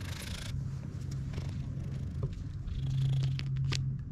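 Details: Cat purring on a Japanese cat island where cats live in a disused school; a steady low rumbling purr runs throughout, with faint clicks and rustles over the top.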